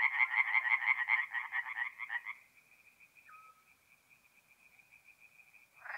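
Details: Tree frogs at a forest pond by night in mid-April, North-East Italy: about two seconds of rapid rattling croaks that fade away, leaving a thin steady high tone and near silence.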